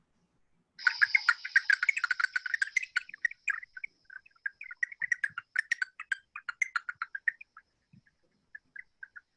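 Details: Bat echolocation recorded at the Arnold Arboretum, New England, slowed to audible pitch by real-time expansion: rapid chirping clicks thinning into scattered, irregular pulses; the app suggests big brown bat or silver-haired bat.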